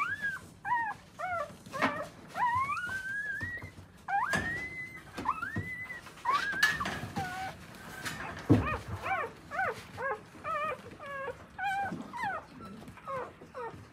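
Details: Akita puppies, newborn and tended by their mother in Akita, Japan, give long drawn-out rising whines, then a quicker run of short arched squeaks, with occasional bumps and rustles nearby.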